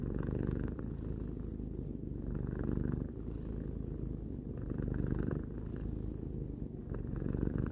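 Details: Calm purring from a three-year-old house cat: continuous low, throbbing rumble of quick pulses, each breath phase lasting about one to two seconds and separated by slight pauses.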